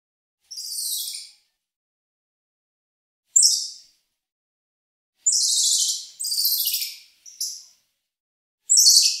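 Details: Squirrel monkey letting out harsh, very high, buzzy bursts with a few shorter clipped notes, spaced by silent gaps of one to two seconds.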